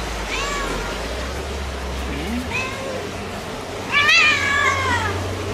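A Turkish Van cat gives a few drawn-out, wavering meows, the last one loudest.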